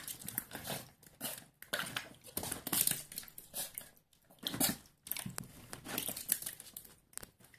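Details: Schipperke puppy Vincent playfully attacking water, biting at it and slapping it with his paws while barking; a run of quick yappy barks and snaps mixed with splashing and dripping water indoors.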